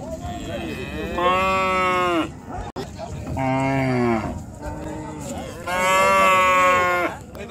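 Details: Cattle being unloaded from the river side at a busy village cattle market in Bangladesh; three long, loud harmonic moos, each about a second or more, the second deeper, with market crowd noise behind.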